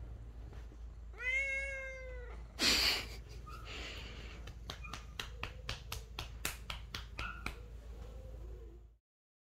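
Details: Male Lynx point, or Tabby point, Siamese cat indoors, complaining because his owner stopped tapping his behind: one drawn-out, rich, nasal meow, then a loud rustle and a run of sharp, rhythmic taps.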